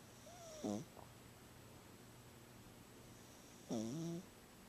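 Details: Gidget, a pet cat, snoring in her sleep, louder than normal today: two separate rasping snores about three seconds apart, each a short harmonic rattle that drops in pitch, with quiet room hiss between.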